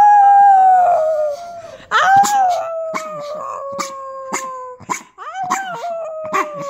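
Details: A sick dog trying to bark: long, drawn-out, howl-like tones that slide slowly downward and are broken by short sharp catches, with a fresh strained cry partway through and another near the end.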